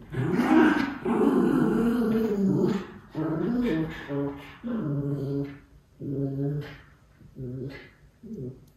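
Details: Miniature Schnauzer brothers, white puppies, burning off energy in play in Aroostook County, Maine; a long opening growl, then shorter grumbling growls spaced about a second apart, fading toward the end.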